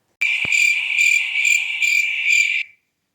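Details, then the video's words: A cricket, one of several nocturnal animals in a night-time sound recording, gives a steady, high, ringing trill that swells and fades in quick pulses. "Did you hear the cricket?"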